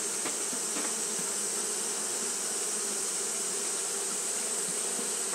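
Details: Japanese honey bees fanning continuously on a hot day: a steady, dense low hum with a layer of brighter buzzing above it, plus a constant high hiss, with a couple of faint clicks near the start.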